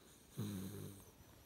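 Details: Wilbur, a Hungarian Vizsla puppy, snores while asleep: one short, low, rumbling snore lasting about half a second, with a few soft overtones, against a quiet room.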